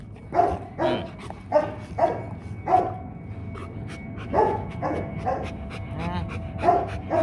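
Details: Rottweiler guard dog barking irregularly, single heavy woofs spaced roughly a second apart, with people talking quietly in the background.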